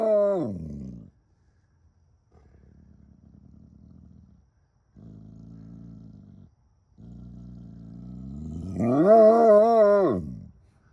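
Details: A bloodhound in North Dakota gives deep, mournful howls with low grumbling between them, ending on a long, wavering bay.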